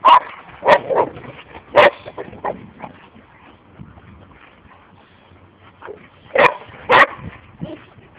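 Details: Four Boxer dogs (Ange and Kosto, six-year-old siblings; Maggy, six; her ten-month-old son Enzo) playing and running together at a holiday camp; a few loud sharp barks near the start and again around seven seconds, quieter yips between.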